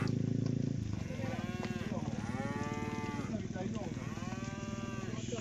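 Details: Tame village cattle being herded home to their pen as a group: a motor engine drones at first, then several long, drawn-out moos rise and fall, overlapping over a steady low engine hum.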